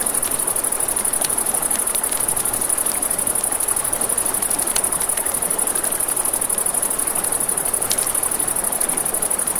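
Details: Crickets at night by a river beside a campfire: a steady, unbroken high-pitched trill runs throughout, with scattered sharp crackles and pops from the fire over a soft rushing wash of flowing water.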